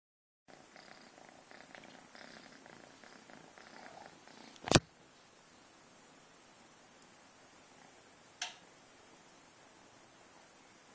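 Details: Domestic cat named Marty grooming her kittens indoors, a soft, steady low purr running for about four seconds with faint harmonic bands, then two sharp clicks and quiet room tone.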